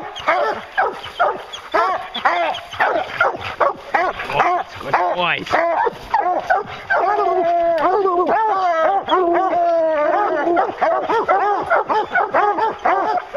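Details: Several hunting hounds give tongue on a bear chase, fast overlapping barks, then longer drawn-out bawling howls near the middle before the quick barking resumes.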